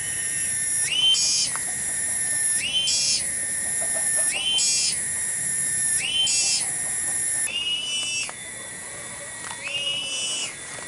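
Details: Cicada (tonggeret) in a garden at Kampung Bunder, Cibening village, Bungursari; small but very loud. Shrill, high, whistle-like tones rise into a sustained buzzing band, then drop, repeating roughly every two seconds across the clip.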